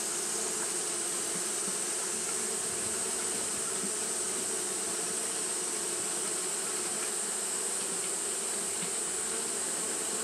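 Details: Steady drone from Japanese honey bees fanning their wings through a hot day, a thick overlapping hum of many wingbeats with a constant bright high-pitched hiss layered on top, unchanging from start to end.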